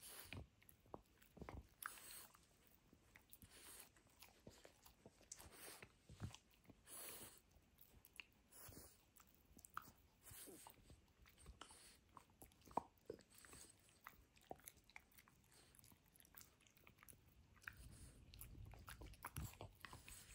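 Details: Benedict, a French Bulldog, demolishing his toy dinosaur indoors; sharp irregular crunching and biting clicks scattered across the recording, with quieter gnawing between the louder bites.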